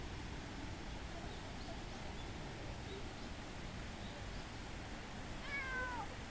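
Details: Cat in Minoo Park, Japan, on 18 June 2025, trailing someone to a bench and rubbing against their legs; a single brief descending meow late in the recording, set against constant loud rushing background noise.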